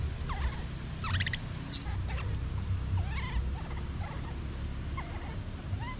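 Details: Baby monkey calling out after separation from its mother, giving brief upswept whimpering cries and some clicky bursts, with one sharp high-pitched squeak near the second mark; low rumbling noise throughout.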